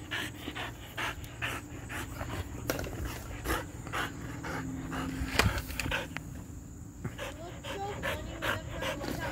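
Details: Three-legged tricolor Border Collie, female, outdoors playing with a small stick; rapid rhythmic breathy panting around two to three puffs per second, with a woman's voice praising her and rustling footsteps nearby.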